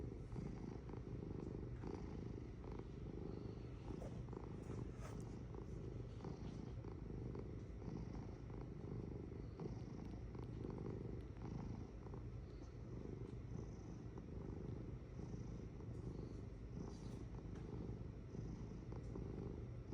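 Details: A cat purring, a deep, rumbling low vibration pulsing in steady in-out cycles, continuous and close, with faint light clicks above.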